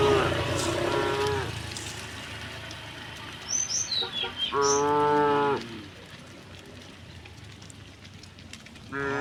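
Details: Dozens of tame cows walk a quiet country lane in green countryside, their moos echoing; a long moo opens, a second full moo follows mid-way after short chirps, and another starts at the end.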